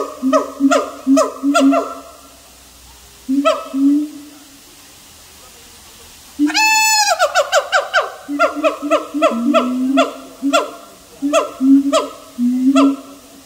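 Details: Siamang in a long calling bout: loud booming hoots in quick series, a pause, then a sharp rising whistled shriek followed by fast, overlapping barks and spaced hoots.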